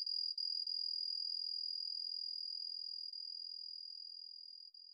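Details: Homoeoxipha obliterata, the Yamato-hibari cricket, whose song shifts tempo: an unbroken high-pitched trill with a couple of short breaks early on, then a long smooth run that slowly fades; otherwise quiet.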